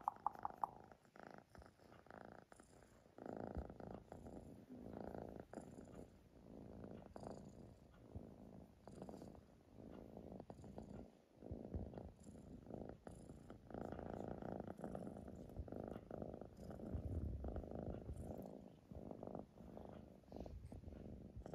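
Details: Siamese cat giving a soft, uneven purr, a low buzzing throb that swells and fades irregularly over twenty seconds, with faint clicks and rustles close by.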